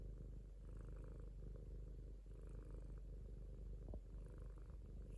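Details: Low, even purring of a domestic cat, a dense rumble pulsing without a break, with slight breathy hiss on top in a quiet indoor setting.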